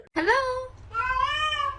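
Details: Domestic cat in a funny compilation giving two meows indoors, the first sharp and falling, the second longer and rising then level, over a low steady hum.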